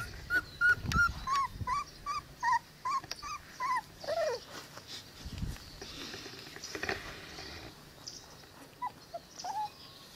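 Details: Cane Corso puppies, 22 days old, give a run of short high squeaky whimpers, each bending up then down, repeated quickly for about four seconds, then fainter scattered squeaks over soft rustling.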